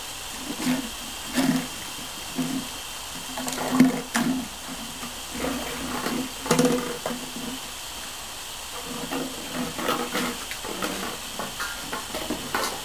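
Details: Border Collie puppies playing and cooling down under a fine hose mist on a hot day give short low yips and whines, roughly every few seconds, over a steady hiss of spray.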